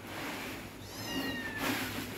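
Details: ['Cats at their dinner give high, thin mews with bright harmonics that arch upward, then a second short mew. A steady low hum and a woman speaking Bengali run underneath.']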